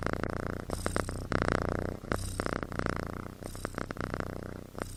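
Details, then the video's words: Kitten asleep and snoring like a human, a continuous low, pulsing rumble rising and falling with each breath over five seconds. "Snoring Kitten"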